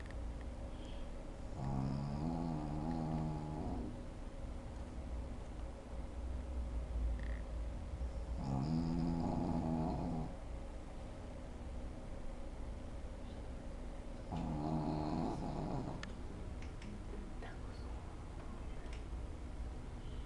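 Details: Sleeping Shih Tzu named Lunna Prince Dubai snoring deeply indoors; three long, harmonic rasping snores roughly every six seconds, each about two seconds long, over low room hum.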